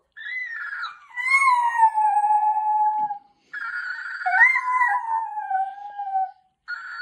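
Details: Chopper, a pet Jack Russell Terrier, reacting indoors to a talking toy parrot mimicking him: long drawn-out howling whines that slide downward, in two sustained phrases separated by a short pause, with a brief break before a third begins.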